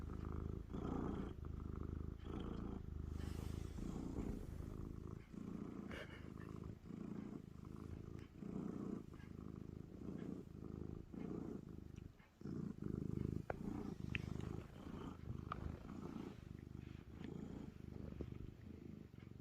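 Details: A loud, continuous purr from a friendly male stray cat that purrs whenever someone pets him, recorded as a timid house cat meets him. The low, pulsing rumble is broken by brief handling knocks and rustles.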